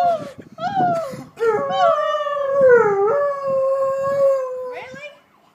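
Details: A two-year-old Alaskan Malamute howls at police sirens in long, wavering, mid-pitched tones that slide up and down.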